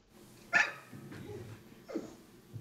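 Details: Winston, a talkative rescue dog in the kitchen, wanting his dinner now and licking his lips: one sharp yip, a soft low murmur, then a brief whine that falls in pitch, with quiet room hum throughout.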